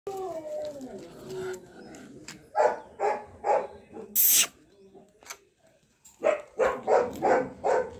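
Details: A Golden Retriever in Bangalore barks in two quick runs of four or five deep, throaty woofs.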